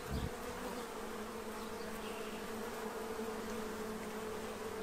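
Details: Steady buzzing hum of many bees feeding at a tray to prepare for winter in Central Illinois, a continuous drone holding even pitch and loudness throughout, with a soft knock at the start.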